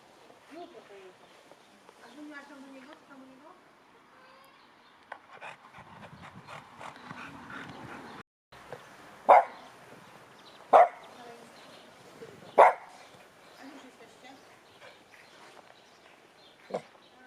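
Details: Female Cavalier King Charles Spaniel barking at home on her owner's command to speak; four short, sharp single barks about one and a half to two seconds apart, then a fainter one later, with quiet speech and household noise between.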